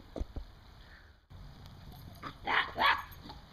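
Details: A dog barking while herding squirrels: two short, sharp, broadband barks close together near the end, after a quieter stretch with a steady low rumble in the background.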